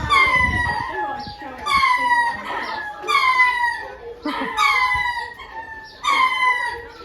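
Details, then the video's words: Lemurs calling: five loud, harmonic, wailing cries, each sliding downward in pitch, repeated roughly every one and a half seconds, with a low rumbling noise under the first cry. "Lemurs making a noise"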